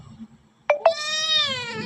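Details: Domestic cat said to be talking on the phone gives one long, drawn-out meow with a steady, slightly falling pitch, preceded by two short clipped onsets; low hum underneath.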